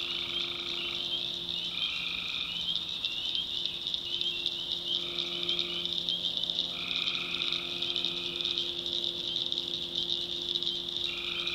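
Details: Tree frogs at night, North Carolina backwoods swamp: a bright, continuous ringing chorus with repeated mid-pitched droning calls about a second long, plus a steady low hum in the background.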